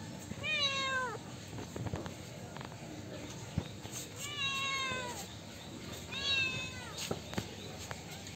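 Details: Kittens meowing for milk: three clear drawn-out meows with rich harmonics, near 0.5, 4.2 and 6.2 seconds, each falling slightly in pitch, over low background rustling and clicks.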